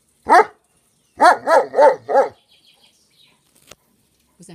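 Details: German Shepherd dog barking on command after repeated German calls of "gib laut": one loud bark, then a quick burst of four barks about a third of a second apart, then quiet with faint small noises.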